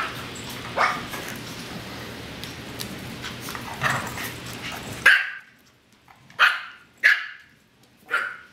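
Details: Yorkshire terrier puppies playing with an old Australian Cattle Dog named Sumaya: after several seconds of faint rustling, four sharp, high yapping barks ring out about a second apart against near silence.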